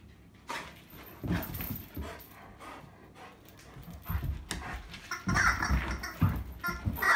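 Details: Irish Setter recorded on 22 October 2022, panting in loose breathy bursts at an uneven pace, soft at first, then partly covered by music that swells over the last two seconds.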